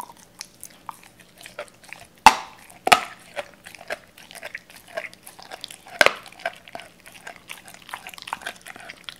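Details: Cola the Doberman chews raw chicken indoors, eating more timidly than usual while filmed. Bright, crackling bone crunches stand out sharply at two, three and six seconds amid a steady run of softer wet chewing clicks.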